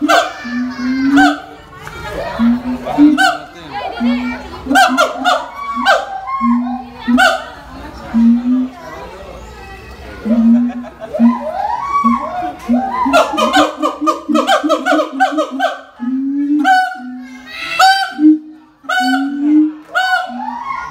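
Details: At Ragunan Zoo in Jakarta on February 18, 2020, excited siamangs call deafeningly loud in swooping, rising-and-falling hoots and barks, repeated in quick bursts, reacting to an iPhone.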